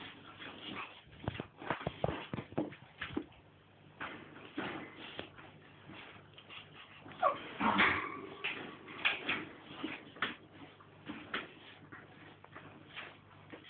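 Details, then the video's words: Staffordshire Bull Terrier mother with her nine-week-old puppies, playing quietly; short whimpers and high yips come in scattered bursts over steady scuffling and shuffling, with a louder cluster of squeals near the middle. "staffy mum & puppies 9 wks"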